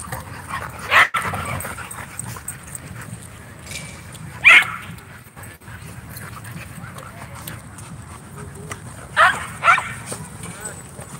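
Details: Dogs at play in a dog park on a Friday night, giving loud short barks spaced irregularly, a single one early, another midway and a quick pair near the end, over a murmur of background voices.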